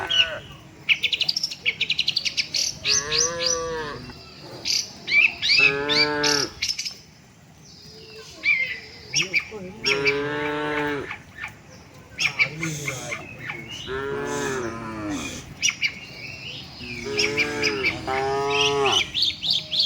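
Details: Tame cattle walking with their herd toward the shed, lowing in about five drawn-out, harmonic-rich moos spread over twenty seconds, some wavering in pitch, while small birds chirp and twitter brightly throughout.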